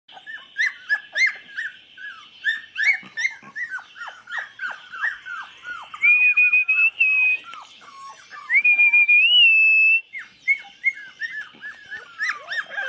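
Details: Litter of 24-day-old chocolate Labrador puppies, recorded 8 November 2014, whining in rapid overlapping falling squeals, with two long steady whistled tones midway and a constant high-pitched hum behind.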